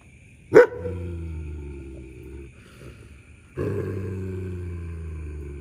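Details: Two German Shepherds fight over a buffalo horn found on an evening walk, one defending it while the other waits to snatch it: a sharp snap, then a low rumbling snarl that fades and returns after about three seconds.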